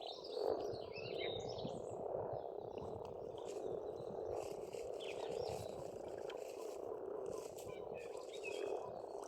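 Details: Continuous croaking chorus of frogs at an Estonian pond in spring, steady and dense with slight pulsing, while birds chirp and whistle intermittently at higher pitch.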